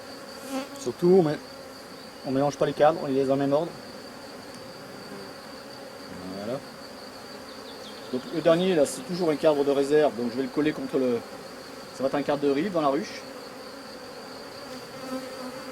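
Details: Drone-laying honey bee colony under rescue as an empty drawn frame goes in beside it; repeated buzzy fly-bys in three clusters, each droning tone bending upward and sliding back down, quiet steady hum between bursts.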